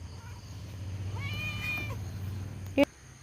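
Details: Pet cat, called repeatedly just before, answering with a single drawn-out meow that rises then falls, over a steady low hum, ending with a sharp click.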